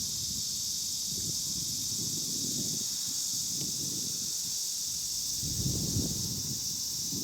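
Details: Kanazawa, 2013: a cicada chorus of Cryptotympana atrata and large brown cicadas, with no Kaempfer cicadas present. A continuous, shrill buzzing wall of sound stays level, with soft low rumbling and rustle below.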